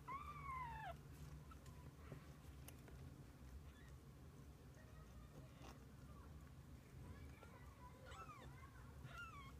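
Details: Kittens and their mother cat spending the day together: one clear, downward-sliding meow opens, then a quiet gap and a few faint, short mews near the end over low background hum.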